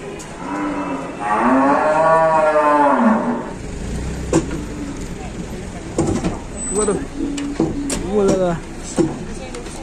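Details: On an Indonesian cattle farm, a big, heavy cow gives one loud, drawn-out moo lasting about two seconds that rises and then falls. Afterwards come shorter, fainter moos, knocks and a man's voice over a steady noisy background.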